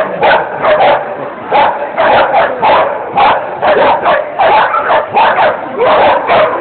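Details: Dog named Angus at an agility A-run in Thalfang, 2010, where it placed second of over 40: rapid sharp barks in bursts, roughly two to three per second, with crowd noise underneath.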